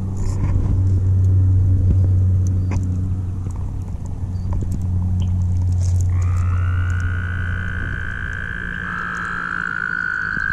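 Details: Toads calling while mating at the Guildwood waterfront; after low rumbling background noise, a long, steady, high trill starts midway and holds to the end, with a second trill overlapping near the close.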